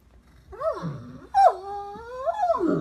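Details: Young Great Dane whining for attention: two rising-and-falling tonal whines, the second held longer with a wavering pitch before dropping away, over a quiet indoor background.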